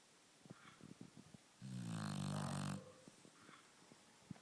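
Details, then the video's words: Sleeping lilac Shar Pei gives one long, deep, rattling snore lasting about a second, surrounded by soft scattered clicks and ticks in a small quiet room. "snoring lilac shar pei"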